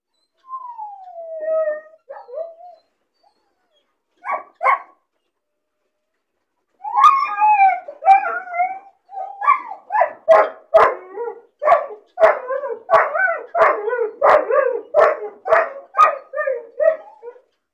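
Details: Caged puppy crying from loneliness and boredom: a drawn-out descending whimper, short pauses, then a long run of high yelping barks mixed with wavering whines, roughly two per second.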